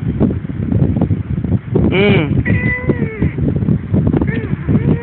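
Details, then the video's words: A one-year-old female talking cat named Shonga-shonga answers a person speaking Tagalog with several short, wavering meows that rise and dip, mixed in among the human conversation. "TALKING CAT"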